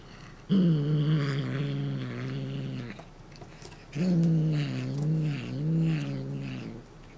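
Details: Chouchou, a Somali cat, gives warning growls while guarding a foxtail cat toy. Two drawn-out, low, wavering growls of about two and a half seconds each are separated by a short pause, with slight rises and dips in pitch.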